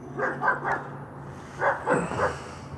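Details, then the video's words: Guarding the yard, a working line German Shepherd barks in two clusters of three fairly soft, throaty woofs separated by a brief gap, with a low steady hum underneath. "German shepherd guarding yard"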